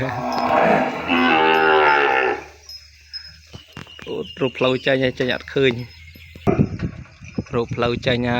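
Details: Penned calf kept apart from its mother, calling for her: one strained, two-second harmonic bawl at the start, then a man speaking quickly over faint rustling.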